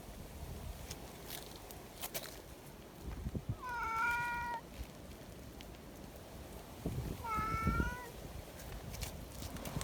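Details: Free-roaming community cats in the mountains, fed right after a typhoon strong enough to turn an umbrella inside out; two drawn-out, slightly rising meows near four and seven and a half seconds over rustling and low background noise.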